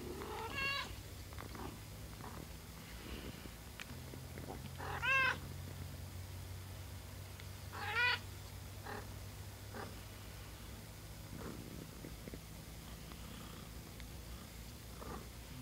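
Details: High, squeaky mews repeat at intervals of several seconds, two louder in the middle, with faint clicks and a low continuous rumble, from house cat Peach and her day-old kittens.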